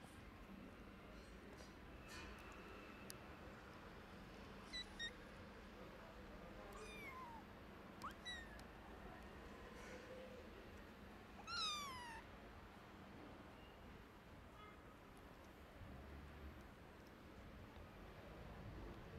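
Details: Hungry, sick orphaned stray kittens, their mother gone, meowing for food while a gray cat mothers them; several short, high, rising-then-falling meows scattered across the stretch, the loudest near the end, over a steady low hum and background noise.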